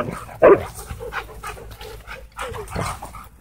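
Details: Two huskies wrestling in a dog park play fight; a sharp loud yip early on, then softer rumbling growls and a second burst of grumbling near the end.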